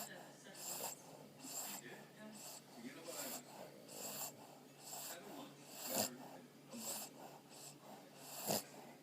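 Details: Two Boston Terriers, Stella and Maverick, asleep on a pregnant woman's belly, snoring in soft, breathy, rasping pulses that rise and fall about every two to three seconds, with faint snorts between.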